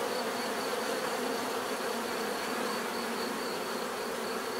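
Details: Dense, hissy buzzing of bees with a bright, noisy texture, a steady drone and a faint pulsing high tone, level and continuous.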